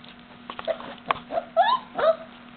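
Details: Three Cardigan Welsh Corgi puppies, four and a half weeks old, playing together: short high whines and squeaky yelps, several rising then falling, with soft thumps and pattering between cries.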